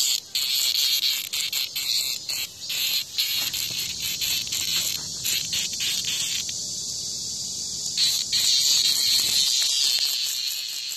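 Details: Cicada in front of a house while a hornet attacks it; a loud steady high-pitched drone runs throughout, broken by rapid stuttering pulses and short gaps, with faint low rustling in the middle.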